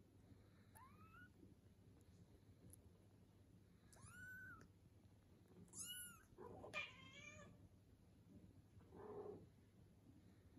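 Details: British Shorthair kittens, 19 days old, almost three weeks, playing and eating with their mother cat; striped females and one unstriped male. Several thin, high meows, each arching up then down, come in a loose series with soft rustling between them.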